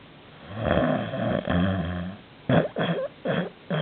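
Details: Canadian Sphynx cat asleep indoors, snoring very loudly: a long rasping breath with low buzzy harmonics for about two seconds, then a run of shorter snorts roughly every quarter to half second.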